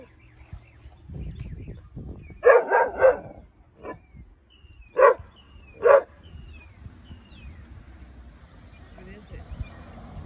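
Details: Weimaraner puppy Baloo, under five months old, alerts to an intruder with a quick triple bark followed by two single barks spaced about a second apart. A man's voice speaks between them, and small birds chirp in the background.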